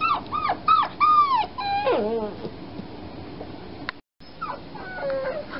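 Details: Recently spayed foster puppy crying through the night: several quick, piercing whines in a row, then a longer falling moan that fades into quieter, scattered whimpers and a brief silent break.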